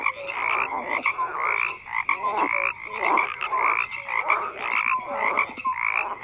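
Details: Numerous frogs calling at once, rhythmic raspy croaks repeating in quick pulses with scattered short tonal peeps.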